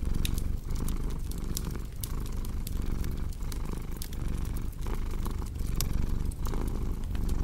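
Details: Domestic cat purring, a steady low rumble that swells and dips with each breath about every three-quarters of a second, layered over sharp crackling and popping from a cozy fireplace in a relaxing sleep mix.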